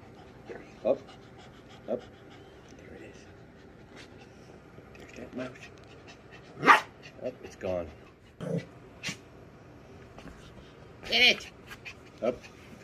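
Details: A Yorkshire Terrier puppy excited by a mouse toy gives sharp, high-pitched yapping barks, spaced a few seconds apart.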